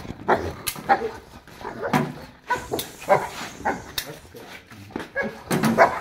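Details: Boerboel, a South African Mastiff, one of the pair Enzo and Diva living in Egypt, giving a string of deep, short barks roughly every half second to one second, with a man's voice calling to the dogs in the background.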